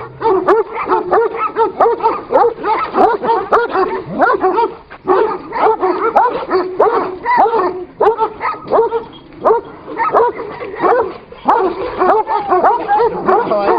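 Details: ['Two Kangal dogs locked in a fight: rapid, uneven bursts of harsh barking and snarling, roughly ninety-odd a minute, broken by short lulls.']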